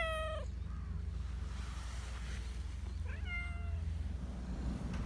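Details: Black Persian cat, a talkative park cat, gives a clear drawn-out meow at the start, then a softer rising-and-flat meow about three seconds later, with constant low background hum.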